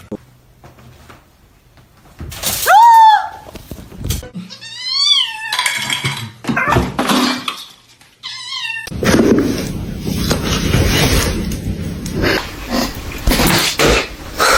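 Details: Domestic cat in a funny compilation giving several short rising-falling meows around the third to seventh seconds, then a final meow, followed by a stretch of busy noise with voices and clatter.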